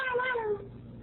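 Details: A Ragdoll cat, female, blocks the door and protests her owner's departure with a single firm meow, rich in overtones, held briefly then dropping in pitch before stopping abruptly; quiet room tone follows.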